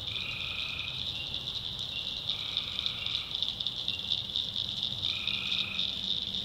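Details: Tree frogs at night in the backwoods of North Carolina: a dense, steady high chorus hums throughout while lower trilled calls of about one and a half seconds break through three times, against a swampy nighttime background that also holds crickets.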